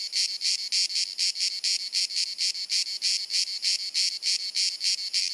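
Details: Summer cicada chorus in Dalmatia, Croatia, on a hot sunny afternoon: penetrating high-pitched rasping pulses, roughly three or four each second, continuing without a break, no other sounds.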